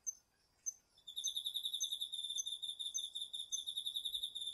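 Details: A garden chorus of autumn crickets and other insects, recorded on a DR-40X. A few isolated high chirps give way to a continuous, rapidly pulsed, shrill trill that keeps going to the end.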